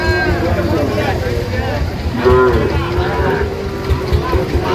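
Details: Young Sahiwal bull at a cattle market bought by a farmer from Dhaka, August 2025: a short lowing moo, then a longer rising-and-falling one, with a constant hum of voices and motors behind.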